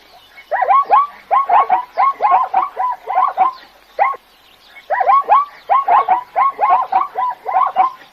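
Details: Zebra braying in a rhythmic series of hoarse, yelping barks, about one per second in two long runs split by a brief pause near the middle.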